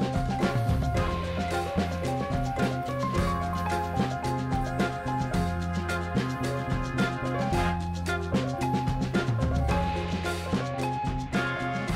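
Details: Upbeat instrumental music with drums and a bouncing bass line fills the whole stretch, with no animal sounds.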